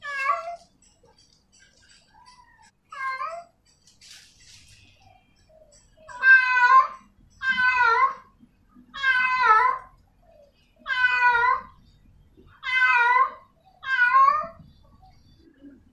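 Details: A female in-heat cat calls to a male in a quiet setting. After a few softer, shorter cries, six strong, drawn-out wavering meows come at roughly two-second intervals.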